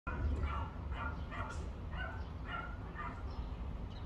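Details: Dogs barking in a repeated series, roughly one short bark every half second, over a steady low rumble of background noise.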